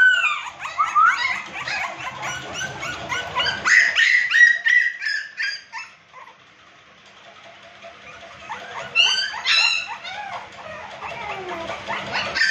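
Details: American Pit Bull Terrier puppies at a kennel give rapid high yips and whimpering whines in overlapping bursts, several voices at once. A quieter stretch midway is followed by renewed yelping, with a faint low hum underneath.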